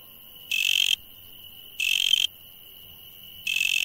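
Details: Insects at night produce three harsh, noisy bursts of about half a second, coming every one and a half seconds or so, set against an unbroken shrill steady drone.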